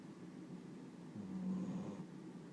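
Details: Riki, a sleeping dog said to snore like an old man, lets out one low, droning snore of about a second, rising from a quiet indoor background.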